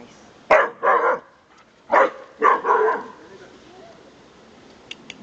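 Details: Pet dog at home, which its owner calls a good watchdog, keeps barking in quick doubled bursts, a pause, then another pair of barks. Faint clicks follow near the end.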